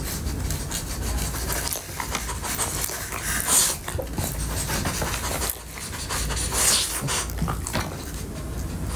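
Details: French Bulldog eating Sprinkles Pupcakes dog cupcakes in an ASMR-style recording: close, breathy bursts of panting and wet licking and chewing noises come in clusters, with two louder breathy peaks, over a steady low background hum.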